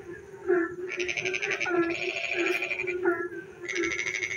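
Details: Frogs calling at night in the rain in a village, a long rattling, buzzy croak followed by quieter chirps and another pulsed burst, steady droning background throughout.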